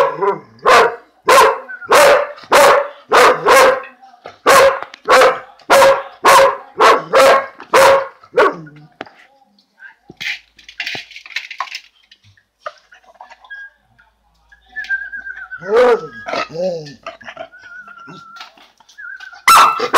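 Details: While eating lunch, a male purebred Dalmatian lets out a fast, steady run of about fifteen sharp barks over eight seconds, then goes quiet apart from faint scattered sounds, ending with one last bark.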